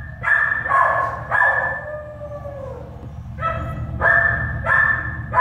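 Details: Shelter-born American Staffordshire Terrier puppies give sharp, high-pitched yelps in irregular bursts, with a drawn-out falling whine in the middle; a constant low hum runs underneath.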